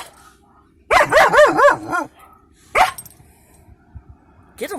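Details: A German Shepherd puppy in a truck at a scrapyard barks at people by a fence, giving a run of wavering, yodel-like barks, then a couple of sharp yips; finding: German Shepherd.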